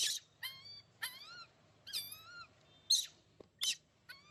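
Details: Little monkey crying for milk, a young animal addicted to milk: loud, high, harmonic wails that sweep up then down, each lasting under half a second, repeated about every second between sharp clicking bursts, over a low steady hum.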